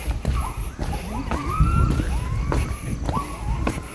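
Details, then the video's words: A Javan primate gives drawn-out, sweeping hoots that rise and fall, over trekkers' footsteps and sloshing water, heard from a dry volcanic crater area before Kawah Ratu, Mount Halimun Salak, Bogor, West Java. "Kerennya lagi, dari sini kita bisa mendengarkan suara dari primata Jawa yang keren banget. Coba dengarkan Baladena."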